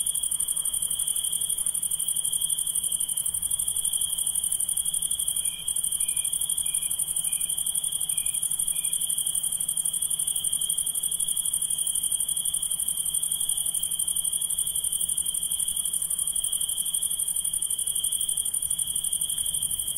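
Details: Night-calling insects, likely crickets and katydids, keep up an unbroken, shrill trill that holds one high pitch throughout. A brief run of short, softer chirps rises above it near the start, and an even higher whine carries on faintly underneath.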